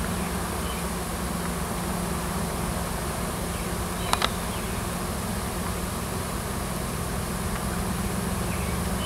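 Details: Swarm of wild honey bees at a farm in Washington, a new queen having left the nest with many workers to seek a new home; a steady low droning hum fills the air, with one brief click midway.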